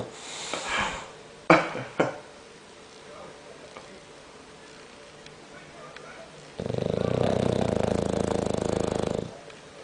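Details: Bulldog asleep and snoring fearsomely; a few soft knocks and sniffs come first, followed by a quiet stretch, then a three-second rough, vibrating snore with a grinding buzz.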